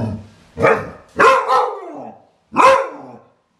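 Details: Three loud, abrupt barks from a Clumber Spaniel, the second a quick double, each one trailing off into a short falling tail, with silence between.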